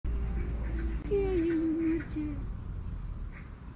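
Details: Young grey male cat, affectionate and seeking love and attention, gives one drawn-out, slightly falling meow lasting about a second, followed by a short softer tail, with a low room hum underneath.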